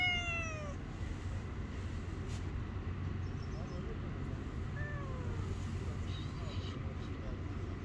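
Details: Angry stray cat on the street, touched and biting back, with a long falling meow at the start and a brief faint one midway, against continuous low urban traffic noise.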